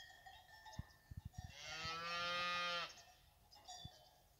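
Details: Fighting bull cows with their calves at the La Paloma ganadería brava, one cow giving a single long, steady low moo rich in harmonics, about 1.3 seconds long, after a run of sharp knocks, with faint tonal ringing in the background.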